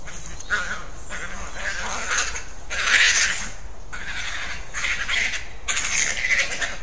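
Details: European badgers fighting: harsh, broadband screeching in bursts of about a second, separated by short pauses, with the loudest squeals near the third and sixth seconds.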